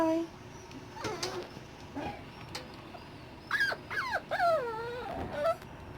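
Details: Six-week-old Dachshund puppies, being weaned and moved to a bigger pen, whimpering; thin, high whines that rise and fall in short bursts, a few clustered calls near the end, with quiet rustling between.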